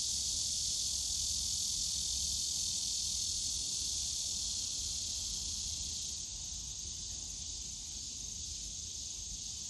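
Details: Cicadas droning through a summer day in the Yongsan Family Park bamboo grove, Korea: a continuous high buzzing hiss that thins slightly after about six seconds, then carries on steadily, with a low background murmur.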